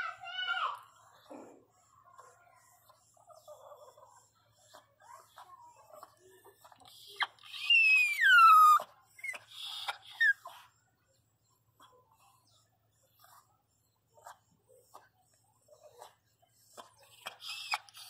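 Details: Female Pinscher in labour, crying in pain during birth: a loud, drawn-out whine that sweeps up then falls midway, among softer whimpers, with a woman speaking reassuringly in Portuguese throughout.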